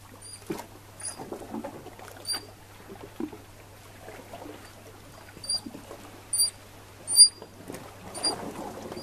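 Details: Eurasian otters, a female with two pups fed pollock on the Norwegian west coast in November 2016: short, thin, high squeaks with a fainter higher overtone, repeated irregularly every second or so over soft wet rustling and splashing.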